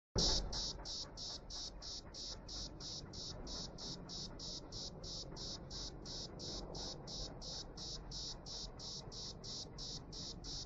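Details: Cicada singing in Jerusalem in 2016, its pearly sound membranes at work: a steady train of high, dry buzzing pulses, nearly three per second and very even, with a low background rumble underneath.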